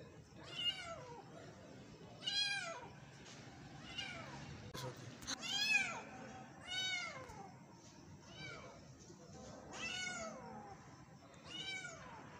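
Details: A young street kitten calls with about seven high, thin, arching meows, each rising then falling, one every second or two, over a faint background hum.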